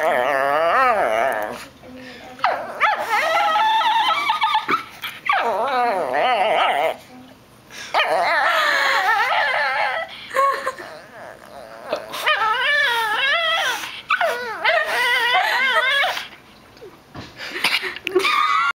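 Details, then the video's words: A female Shih Tzu that sings rather than barks, grumbling in long, warbling, whine-like phrases. The pitch bends up and down, and near-continuous stretches are broken by brief silences. "grumbling shih tzu"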